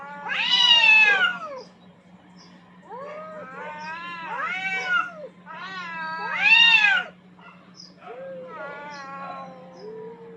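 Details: Pair of aggressive cats battling for dominance on a rooftop trade warbling caterwauls: loud swelling howls alternating with quieter wavering moans, several rising and falling notes in ten seconds, faint steady hum behind.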